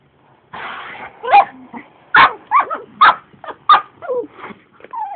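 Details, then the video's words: Dog that dislikes the vacuum cleaner lets out a rapid string of high yelping barks and whiny, rising-falling yips, about one per second, over the hum of the running appliance. "my dog elmo doesn't like the vacuum cleaner"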